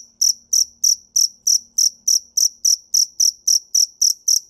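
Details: Cricket calling in a steady series of short, high, shrill chirps, about three per second, each a brief pulsed burst, with no other sounds in the background.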